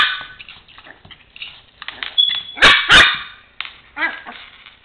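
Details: A 4-month-old female Chihuahua puppy, playing with a toy truck on the floor, gives sharp, high-pitched yips and barks in quick, uneven bursts; she rarely barks.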